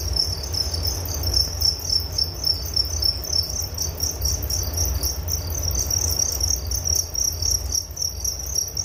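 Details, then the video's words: Crickets chirping in a relaxing nature recording: a continuous high, pulsing trill with rapid chirps repeating over a low rumbling background hum. "Relaksasi Suara Jangkrik Penghantar tidur || Nature Sound of Crickets"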